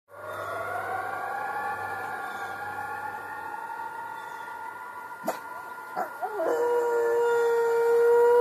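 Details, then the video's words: Dog howling at a passing ambulance siren, a long smooth rising tone held for several seconds with steady overtones, mixed with the siren's tone and a few sharp knocks near the end. "howling at ambulance"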